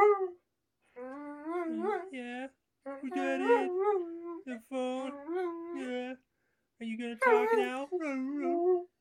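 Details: A domestic dog howls in response to a mobile phone ringtone indoors in a small room; long wavering harmonic howls rise and fall in bursts of one to two seconds, separated by short pauses.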